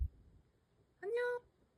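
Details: Black stray cat named Mocha giving a single clear meow about a third of a second long, rising slightly then held steady, with strong harmonics; quiet room with soft speech before and after.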